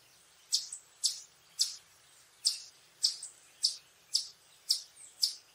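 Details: Eastern chipmunk giving its alarm or warning call: sharp, high chips repeated roughly twice per second in a steady series of about ten notes against a quiet background.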